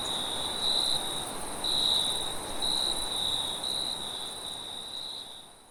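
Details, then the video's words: High steady cricket trill at night in a forest, pulsing in short bursts about once a second over a soft hiss, the whole sound fading out toward the end. "Crickets and wind sounds at night"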